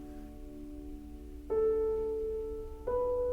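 Sustained musical tones, like a keyboard or singing bowl, with no animal sound.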